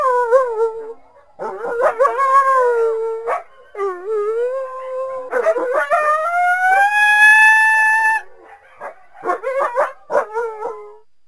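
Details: Coyote giving a string of wavering, rising and falling howls with harmonics, broken by short yips, then a long drawn-out rising howl followed by quick yipping bursts.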